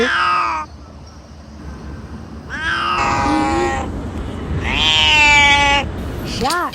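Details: Domestic cat giving weird, cute or scared vocalisations: several drawn-out meows, some falling and some arching, spaced across the recording over a steady background hiss and low rumble.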